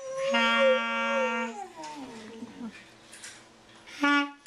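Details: Boxer howling along with a clarinet: a steady held clarinet note, then the dog's wavering howl sliding downward and fading, and a short clarinet note near the end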